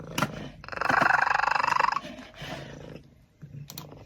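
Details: Pet cat making strange sounds, a harsh pulsed rasping growl lasting about a second and a half, followed by softer rumbles; laughter comes just before.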